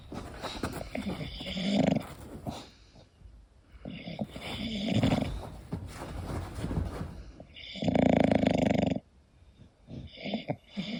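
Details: English Bulldog Koda asleep, breathing noisily with uneven, softer snores early on and one strong, rattling snore near the end, followed by lighter snuffling.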